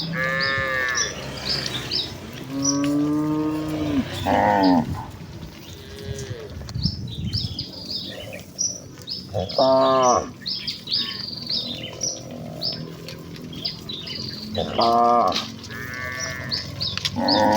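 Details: Village cattle in a herd hurrying joyfully to the pen, giving loud moos, some rising and falling, others short and clipped, in bursts roughly every five seconds over steady birdsong and rustling.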